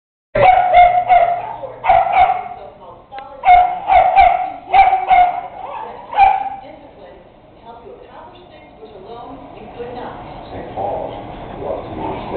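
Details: Two dogs, a Bedlington terrier and a Wheaten terrier, playing roughly together indoors: bursts of high yapping barks and growly yips in quick clusters over the first six seconds, then quieter scuffling, whining and low growls.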